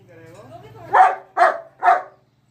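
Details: German Shepherd barks three times in steady succession, each bark short, harsh and loud, spaced roughly half a second apart, following a faint whine.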